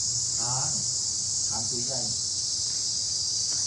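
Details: Cicadas, said to be very numerous and filling the trees around a house, produce a steady, unbroken high-pitched drone through the whole stretch, while a woman speaks quietly underneath.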